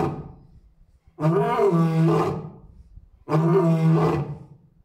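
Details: Male lion at Asahiyama Zoo, Japan, standing alone in the big-cat enclosure with mate and cubs absent, roaring repeatedly, recorded 10 May 2024; two deep, harmonic-rich roars about two seconds apart, each lasting around a second.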